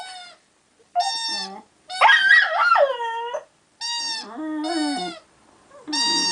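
An American Staffordshire Terrier howls in drawn-out, wavering, wolf-like notes with short pauses between.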